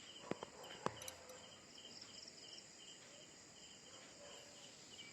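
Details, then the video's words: Crickets at night, when everyone has gone to sleep, giving faint, high, short chirps repeated in a loose, steady series over a low background hiss, with a few sharp clicks near the start. "রাত হয়ে গেছে সবাই শুয়ে পড়েছে শুধু ঝিঝি পোকার আওয়াজ শোনা যাচ্ছে"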